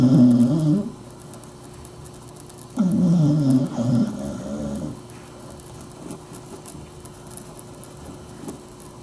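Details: Snoring of Sadie the dachshund while she sleeps beneath a desk: two deep, rough, rumbling breaths a few seconds apart, then a quiet room.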